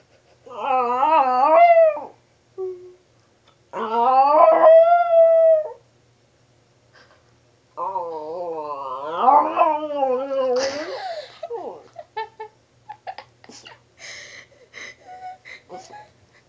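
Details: Pet dog howling in an odd way: long tonal howls that wobble up and down, separated by short silences, then a rougher rising howl breaking off into scattered clicks and rustling.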